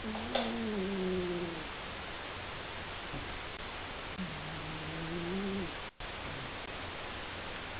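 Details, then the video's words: Seven, a male pet cat, snoring loudly in his sleep: two drawn-out tonal breaths, each about a second and a half, with a steady low hum that slides slightly downward. A quiet room sits behind them. "Snoring Cat"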